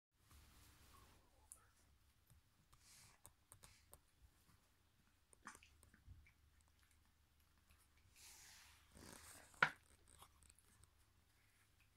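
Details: A quiet indoor room holds soft rustling, scattered clicks and one sharp knock near the ten-second mark over a low hum, with no clear animal voice.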